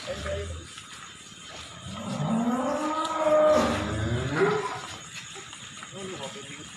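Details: Wisanggeni, a jumbo cow being taken to Irfan Hakim's residence, gives a long drawn-out moo lasting over two seconds. It rises in pitch and then falls away, over traffic rumble and voices.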